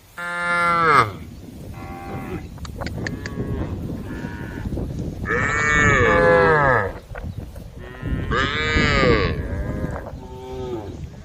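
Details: Tame female cows in a group low repeatedly while eating grass, loud harmonic moos rising and falling against a rumbling, noisy background, several calls close together.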